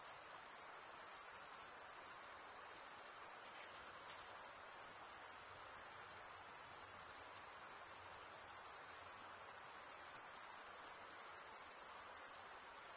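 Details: Chirping of crickets, the males stridulating with comb-like wing serrations, forms a continuous shrill band of sound, constant in loudness, with only a quiet background hiss lower down.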